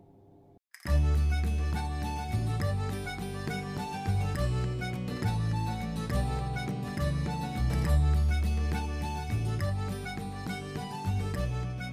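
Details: After a brief quiet start, lively instrumental music with a bouncing bass line plays throughout, and no animal sound is heard.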